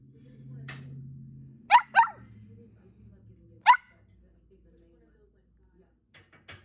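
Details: A toy poodle barks while begging for a snack: two quick shrill yaps in close succession, then a third alone almost two seconds later, between soft clicks; a voice tells it to wait and sit.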